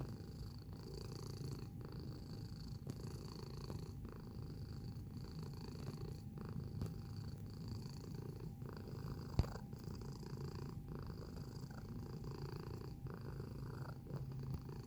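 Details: Cat purring close to the microphone for about fifteen seconds, a low, even rumble pulsing with its inhales and exhales roughly every second, a single sharp click near the middle, faint high hum throughout.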